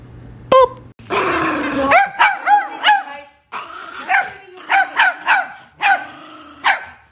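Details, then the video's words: Angry dog barking: a sharp snap, a harsh noisy outburst, then a run of short arched yelping barks in uneven bursts, about ten in all over several seconds. "Angry Dog"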